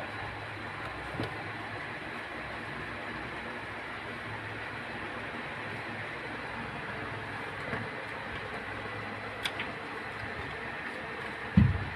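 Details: Steady rumbling vehicle-like noise, with a few sharp clicks and a thump near the end.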